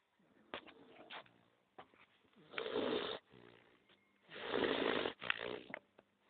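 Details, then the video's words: Max, a pet dog, snoring while asleep indoors: rough, breathy rasps in irregular bursts, with two long, loud grating snores near the middle and end and shorter, softer breaths between them. "Dog Snoring Max"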